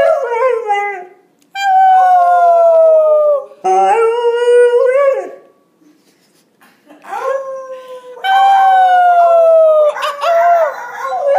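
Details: A 5-month-old male Golden Retriever puppy, learning to howl and howling only when his owners howl for him, gives drawn-out, wavering howls, each sliding gently down in pitch.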